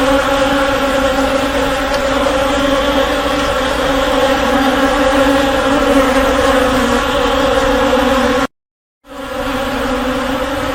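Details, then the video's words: Swarming honey bees produce an unbroken, rich droning buzz, steady in pitch and loudness, interrupted only by a short silent gap before the hum returns. "SOM DE ABELHA-EFEITO SONORO ABELHA-ENCHAME DE ABELHA"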